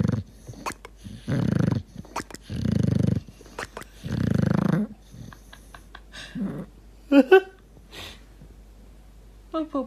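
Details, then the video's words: Dog snoring in deep sleep: three heavy, low, rasping snores in the first five seconds, then quieter breathing with small clicking, gurgling sounds and a few faint squeaks. "Собака храпит и булькает"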